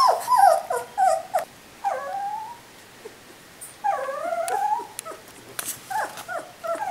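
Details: Three-week-old puppies whimpering in separate bursts: a few high falling whines, a pause, then a longer drawn-out whine and more short squeaks, with quiet gaps between.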